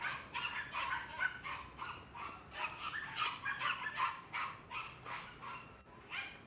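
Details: Black Shiba Inu female puppy, born 11 September 2011 and recorded 12 October 2011, giving rapid high yips and whimpers, several per second in uneven bursts, with a noisy background.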